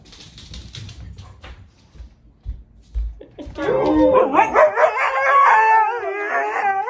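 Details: Siberian Husky starting to howl after a few seconds of low thumps and faint sounds; a loud, wavering, harmonic howl with quick pitch wobbles rises and holds to the end.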